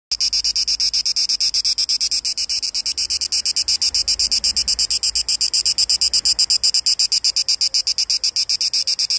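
A cicada sings a loud, dry, rapidly pulsing buzz that throbs steadily several times a second.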